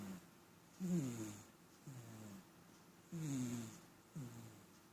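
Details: Domestic cat snoring, alternating longer rough snores and shorter softer ones, each a low buzzy breath falling in pitch, about four per five seconds, with faint room hiss between.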